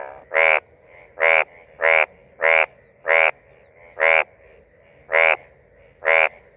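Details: Short, brassy croaks from a male Indian bullfrog (Hoplobatrachus tigerinus) near Rajaji National Park, India, come in a steady series, each rich and buzzy with a slightly rising tone, repeated about once a second as a mating call.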